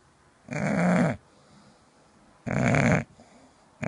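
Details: Sleeping English bulldog indoors giving two long, loud, rattling snores about two seconds apart, each a deep throaty rasp lasting over half a second, with a third starting at the end.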